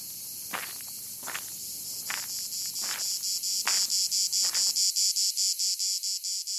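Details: A 4 cm Plebeian cicada (Lyristes plebejus), on a tree in Provence garrigue by the Mediterranean on a sunny July day, gives a loud, shrill, continuous buzz turning into rapid, regular pulses, a love call made with abdominal cymbals.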